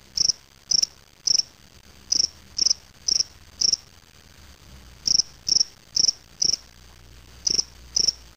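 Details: In a small cage, a spring field cricket (Gryllus veletis) from Waterloo, Ontario, Canada, collected May 25, 2007, produces high clipped chirps in groups of three or four separated by second-long silences, over a faint low hum.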